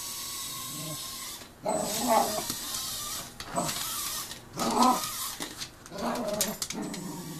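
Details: A Cocker Spaniel gives loud, rough barks in short bursts, a few seconds apart, reacting to a mini drone.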